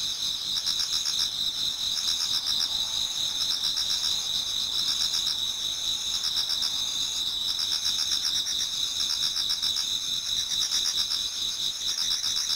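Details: Towards dawn in autumn, numerous insects sing in a Japanese garden: a bright, unceasing high trill with a pulsed upper layer, while lower clicking bursts recur in clusters every few seconds.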